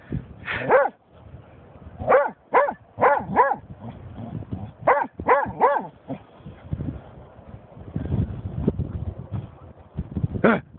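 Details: Snoop, a German Shorthaired Pointer, reacting after finding a dead seagull: a run of sharp, high, harmonic barks and yelps in quick bursts, some in pairs and triples, with short gaps and low rumbling background noise between them.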